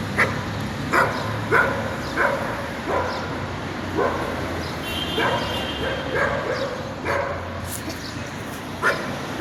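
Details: Dog barking at a distance, sparse sharp barks spaced about a second apart over a background hum, with a faint thin whine heard briefly in the middle.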